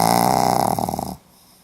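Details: Sleeping Pomeranian dog snoring indoors, recorded 4 November 2015 in Hiroshima: a loud, harmonic, buzzing snore lasting about a second, then quiet.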